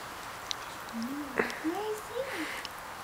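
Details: Australian Shepherd puppies, four weeks old, being babysat: a run of thin whines and squeaks, each briefly rising then falling, several in quick succession, with a sharp knock midway.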